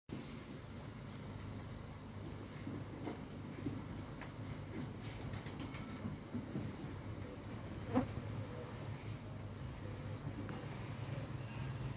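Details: Low rumbling background hum with faint scattered clicks and a single brief knock near the end, without any animal call.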